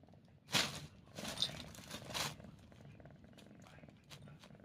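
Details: Pet cat sneezing: three sharp, breathy, noisy bursts in quick succession about two-thirds of a second apart, then quiet room tone.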